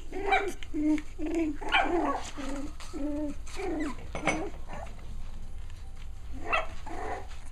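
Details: Six-week-old puppies at play produce a run of short, nasal yips and little barks, repeated roughly every half second, then trailing off into scattered rustles and a final squeak.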